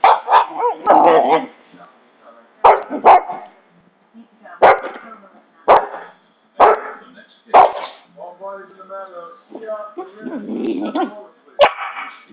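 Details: Pet dog making weird noises: short, sharp barks repeated about once a second, mixed with brief whiny, warbling vocalisations near the end, with a person's voice heard in between.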